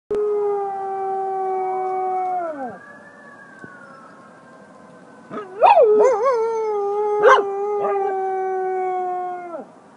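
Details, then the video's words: Two pet dogs, a golden retriever–duck toller mix and a Buhund mix, howl in response to sirens. A long, steady, tonal wail gives way to a sliding sweep. Later the dogs break into wavering, rising-and-falling howls with sharp yelping onsets. "Dogs Howling at Sirens"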